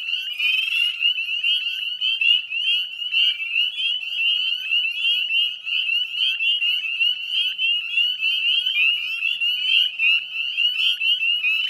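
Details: Spring peepers in the West Chezzetcook wetlands of Nova Scotia on a May 2020 evening at dusk, a continuous piercing chorus of high whistled peeps layered thickly, with a brief buzzy burst near the start and constant tapping clicks.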